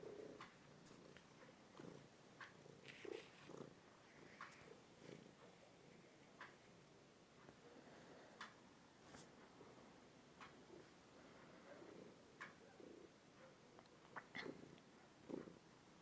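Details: Tishka, a two-year-old overweight domestic cat, purrs into a phone; a steady rhythmic purr with pulsing breaths in and out, scattered clicks and small rustling sounds in a quiet indoor room.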